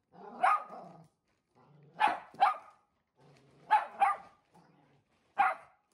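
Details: Indoors, a timid one-year-old blue merle Shetland Sheepdog faces off against a newly delivered mattress: low grumbling growls leading into sharp barks, often paired as quick doubles, about every one to two seconds.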